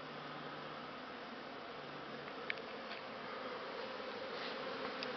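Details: Honey bees on Christmas Eve in December 2015: a dense, even buzzing drone holding steady throughout, with one faint tick near the middle.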